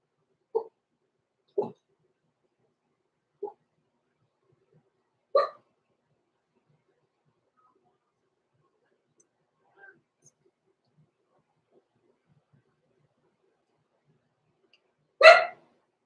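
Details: Six-week-old blenheim Cavalier King Charles Spaniel puppies, Roman and Blue, born November 14, 2022, in an overnight puppy pen; short mid-pitched yelps come at irregular gaps, then a louder, brighter yip closes the quiet stretch.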